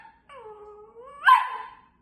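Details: A female long-haired miniature dachshund puppy, reacting to being told her dad is not home, gives a drawn-out, rising whine that breaks into a sharp yip-bark.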